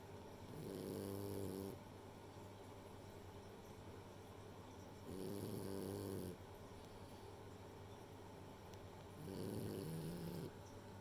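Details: Three drawn-out, buzzy snores from Rei, a female French Bulldog asleep indoors, arriving about every four seconds, each a low vibrating drone over a faint background hum.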